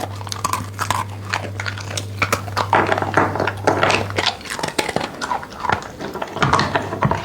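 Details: Dog chewing and crunching food in goat-like grazing fashion, producing dense clusters of snapping bites and chewing noises, louder toward the middle; a low steady hum fades after four seconds.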